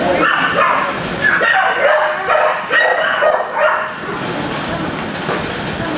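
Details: Dogs barking in a kennel block, steady overlapping barks repeated quickly, with some voices or other noise mixed into the din.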